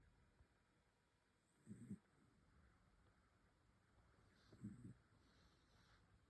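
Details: A sleeping pet dog snores softly, two low rumbling breaths about three seconds apart against a quiet room hiss with faint high whine.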